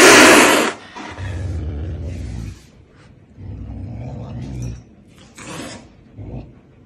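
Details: Pumba the caracal hissing while eating: one loud, breathy, broadband hiss lasting under a second at the start, then quieter rustling and low handling or chewing noises with brief soft bursts.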